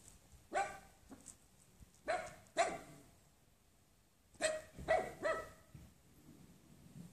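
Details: A six-month-old wirehaired miniature dachshund barks in short, bright, ringing yaps, singly or in quick pairs, with quiet pauses between.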